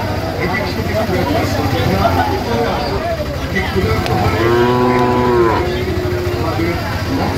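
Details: Sahiwal bull at a busy livestock market in Dhaka, Bangladesh, on 4 August 2025; a drawn-out harmonic moo around the middle, over constant crowd chatter and low engine rumble while buyers and sellers haggle over prices.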